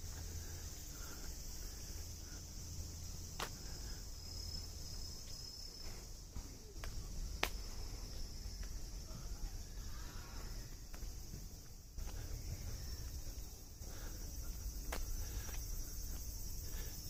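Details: Cicadas on an evening walk in Machida, Tokyo, hold an unbroken, high-pitched buzzing hiss throughout, over footsteps, a deep traffic rumble of the town street and occasional speech.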